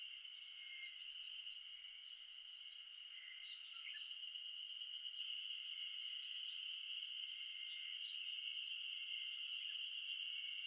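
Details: Wild Ezo spring cicadas (Terpnosia nigricosta) in a dense chorus in the Shin'etsu highlands of Japan in mid-June. A continuous shrill high whine swells louder about halfway through. A brief faint chirping note sounds near the four-second mark.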